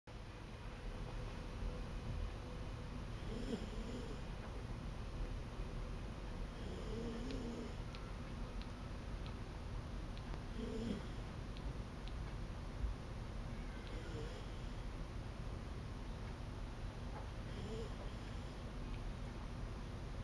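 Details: Sleeping dog snoring softly, low rumbling snores recurring roughly every three to four seconds beneath a steady indoor hiss.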